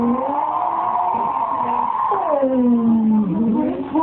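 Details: English springer spaniel 'talking' indoors at Christmas: a sustained, wavering howl-like tone holds steady, then slides downward and swoops back up, without pause.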